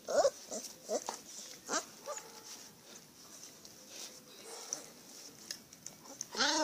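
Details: Leonberger puppies playing let out several short, high yelps and squeaks spaced about a second apart, with a brief whine near the end and quiet rustling between them.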